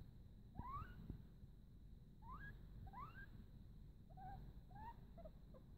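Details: Male pet guinea pig whimpering while peeing or pooping, with no UTI or bladder stone found by the vet and pain from pooping suspected; short rising whistled squeaks with faint overtones come in loose clusters, about seven in six seconds, over a low steady rumble.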